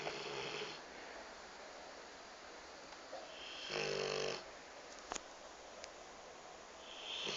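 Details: A pet Rottweiler napping snores in rough, breathy bursts, each rasping inhale rising and fading.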